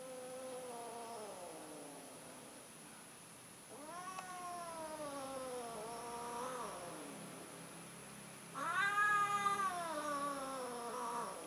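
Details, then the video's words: Domestic cat, an orange tom among them, calling during mating attempts; drawn-out wavering yowls with rich harmonics, one falling wail, then a second rising and falling, and a louder third near the end. "Kucing Kawin, Kucing Orange Nyoba Kawen Lagi Nih"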